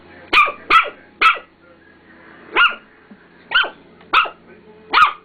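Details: A dog barks at her reflection in a mirror, which she does not recognise as herself: seven short, sharp barks spaced roughly half a second to a second apart, with quiet room noise between them.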